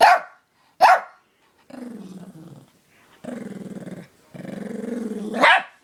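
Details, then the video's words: A friend's dog responds to a dog whistle too high for human ears, giving two sharp barks followed by three long, low rattling growls, the last one rising into another bark. "Dog whistle reaction"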